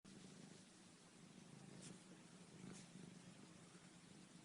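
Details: Pet cat named Behlül during its morning exercise, giving a steady low rumbling purr that runs unbroken through the whole stretch, with two brief soft rustling noises near the middle.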